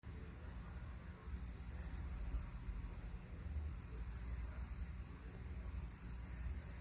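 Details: Crickets making noise: a high, steady trilling buzz comes in bursts of about a second, three bursts spaced roughly a second apart, over a constant low rumbling background.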